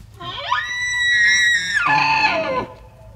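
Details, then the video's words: A bull elk bugles just outside Mammoth Hot Springs in Yellowstone National Park: a rising, reedy whistle held high, then dropping into a lower, rougher bellow. "Bull Elk Bugle in Yellowstone National Park."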